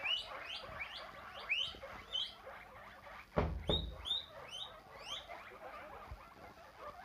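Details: Domesticated guinea pig giving repeated short, high, rising squeaks, roughly three per second, over a background of rustling and a couple of louder thumps.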